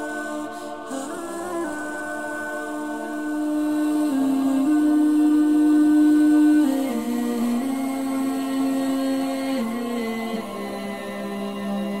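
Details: Steady hummed or chanted voices hold long tones that step slowly up and down in pitch, with no animal sound heard.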